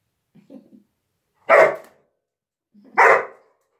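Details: English Springer Spaniel, one of two dogs named Ramos and Piero, giving two loud sharp barks about one and a half seconds apart, each preceded by a soft low grunt, in a quiet room.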